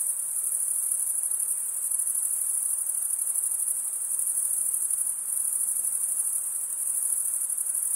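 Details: Male crickets chirping by stridulation, wing scraped over the toothed underside of the other wing, produce an even, piercing high trill with faint rapid pulsing throughout.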